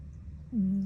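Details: Cat asleep, giving a single brief, low nasal snore that starts with a slight upward flick and then holds steady, in a quiet room.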